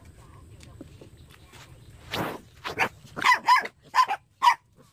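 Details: Puppy giving a quick run of short, sharp high yips and barks in the second half, each burst with a clear tonal squeak, after a quiet start with faint shuffling noises.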